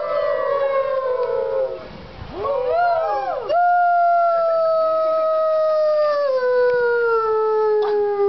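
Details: Gray wolf (Canis lupus), howl.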